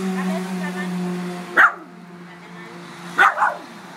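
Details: Frankie, a Miniature Schnauzer, confronting a crab intruder at his house, gives two short sharp barks about a second and a half apart, over a steady low hum and faint voices.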